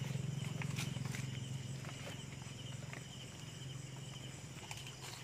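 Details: Native pigs being fed banana leaves, given to prevent diarrhoea: rapid low grunting pulses, about four per second, loudest over the first two seconds then softer, with scattered clicks and rustling.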